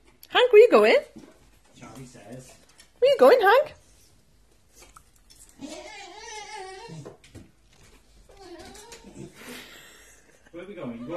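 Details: Hank, a one-year-old Staffordshire bull terrier, grows impatient while waiting to be taken for a walk: two loud, wavering, whiny yowls about two seconds apart, then softer murmuring vocal sounds, with a person talking indoors.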